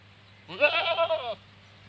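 A goat gives a single wavering, nasal bleat lasting just under a second.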